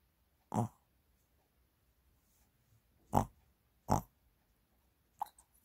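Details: Mini, a Shih Tzu being massaged, recorded 30 January 2022: three short, breathy, nasal snorts, the second and third close together about a second apart, followed by a faint quick sniff, in a quiet room.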